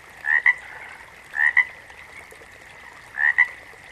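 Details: Three loud frog calls, each two quick croaking pulses close together, the first pair followed soon by the second and a longer pause before the third, over a faint steady drone.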